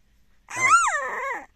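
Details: French Bulldog puppy, indignant and protesting, gives one drawn-out whining bark lasting about a second. The tonal, slightly hoarse voice rises, then falls and wavers before stopping abruptly.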